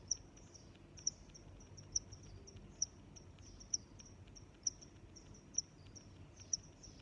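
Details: High, crisp chirps of crickets, eight prominent ones at near one-second intervals, accompanied by weaker overlapping chirping and a quiet low rumble in the background.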